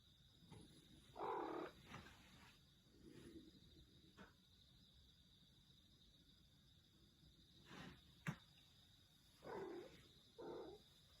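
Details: ['Pet cat with a strange meowing voice: scattered short, nasal cries, two close together near the end, separated by long quiet gaps with soft clicks, a sharp tap and a steady background hum.']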